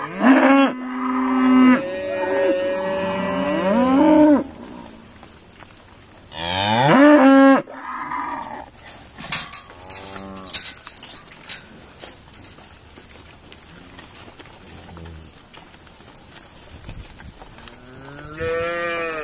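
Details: Loud rich moos from Irish Dexter cattle being sorted at Stone Meadow Farm, a long held bellow, then another around seven seconds, followed by quieter distant lows and clattering, a faint moo closing.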